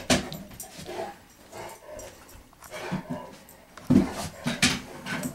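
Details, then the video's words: Playful nine-year-old Great Pyrenees behaving like a puppy indoors. Short, huffing, grumbling vocal bursts repeat irregularly, and louder ones come near the end amid household bumps. "9 year old great pyrenees acting like a puppy"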